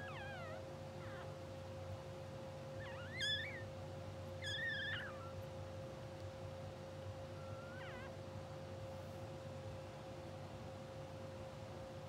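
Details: Newborn English Bulldog puppies of a blue sable litter, two hours old, sleeping, twitching and dreaming on a live puppy cam; thin high squeaky whimpers with wavering, rising-falling pitch come in short clusters over a steady low hum and constant tone.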